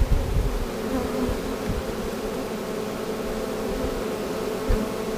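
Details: Honey bee swarm being caught, recorded in 2017: a steady low droning hum of many bees throughout, with soft thumps and handling noises at the start and near the end.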